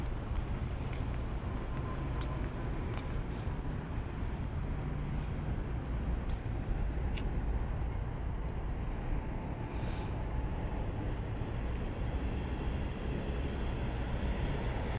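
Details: At night along a walk to the store, a cricket repeats a single clear high chirp about every one and a half seconds, steady and evenly spaced, against a broad low background of distant traffic.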